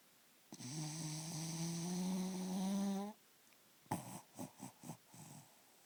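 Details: Zelda, a pet dog, asleep and breathing oddly: a long, loud, low harmonic snore of about two and a half seconds, then a pause and five short, rapid snuffling breaths.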